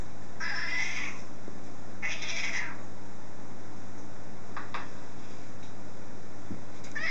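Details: British Blue cat, hungry and asking for supper, gives two drawn-out meows about a second apart, then a couple of brief fainter sounds, over a constant low hum indoors.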